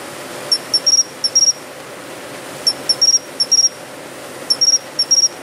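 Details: A Japanese pine cricket sings from shrubbery beside a city building in early autumn (September–October), clear, high, bell-like chirps in quick little groups repeating every two seconds.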